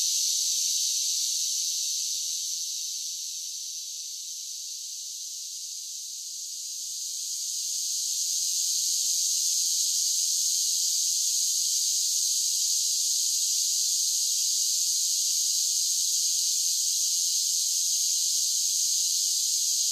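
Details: Summer cicadas singing in a dense, unbroken high hissing drone with no low tones, dipping slightly in loudness midway before swelling back to full strength.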